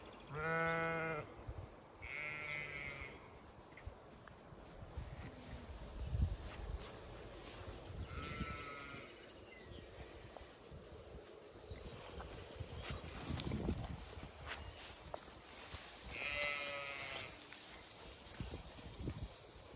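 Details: Zwartbles ewes and fast-growing lambs on a regenerative pasture farm in County Kilkenny, Ireland, on a hot May day, some resting in shade, others grazing; several short, wavering harmonic bleats from different distances, with quiet gaps and low rustling between them.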